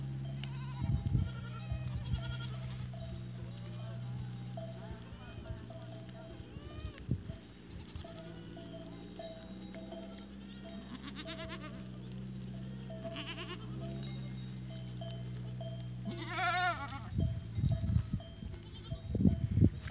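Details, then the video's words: Goats recorded on 14 April 2023: several wavering, quavering bleats scattered through the clip, the loudest near the end. Steady ringing bells run throughout, with low rumbling and thumping below. "Capre 14 Aprilie 2023"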